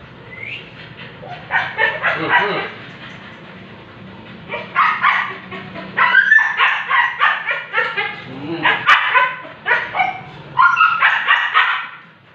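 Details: Siberian Husky at an artificial insemination with a stud, voicing quick strings of sharp yelps and whining barks in several bursts, each burst several seconds long, with brief pauses between.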